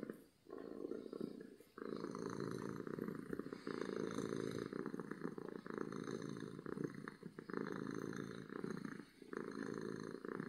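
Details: Loud purring of a happy domestic cat, heard very close: a dense buzzing rumble in long unbroken stretches, with short pauses after about half a second, near two seconds and near nine seconds.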